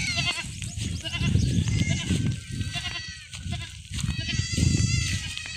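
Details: Goat kids on a farm during iron injections bleat in thin, quavering cries over heavy low rumbling, handling noise and voices that often mask the calls.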